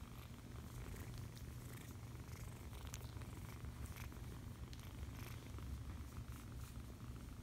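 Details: Cuddled foster kitten giving a continuous deep purr, even and rhythmic throughout, with light handling noises and scattered small clicks in the background.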